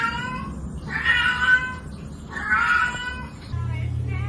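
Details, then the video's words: Domestic cat or kitten giving two drawn-out, nasal meows about a second apart, each swelling then fading, over a steady low indoor hum, with faint music and people talking nearby. "kitten meowing cute"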